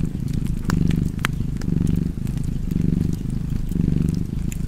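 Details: Cat purring steadily by a fireplace, a low rumbling purr that swells and eases about once a second as the cat breathes in and out, with sharp crackles and pops from the fire.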